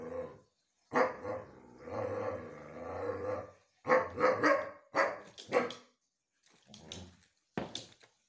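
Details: Siberian Husky; howl; begging for treats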